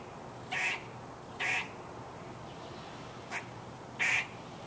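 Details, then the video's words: Squirrel making noise: three loud, grating, quack-like calls spaced roughly a second apart, with a short quieter click between the second and third, over quiet hiss. "Squirrel Making Noise"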